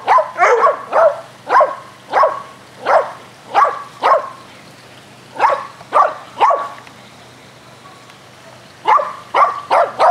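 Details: Dogs Athena, Brando, Rocko and Charlie barking as they play aggressive fetch on a spring day; steady single barks about every half second, a two-second lull, then another burst.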